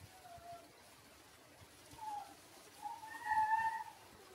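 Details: Six-day-old Shiba Inu puppies, Ôkami and Ikkyu, give thin, squeaky whimpers: a soft short cry, then two more, the last a longer, louder wavering whine rising and falling, with faint background hiss between calls.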